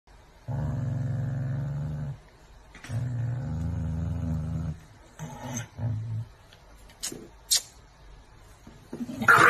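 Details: Angry dog giving deep, rumbling growls, two long sustained bouts of about one and a half seconds each, then shorter broken growls, followed by sharp noises near the end.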